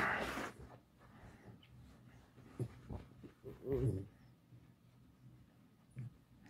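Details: Alice, a domestic pet fox, complaining: a short wavering, nasal whine rises and falls near the middle, framed by soft thumps, rustling and handling noises indoors.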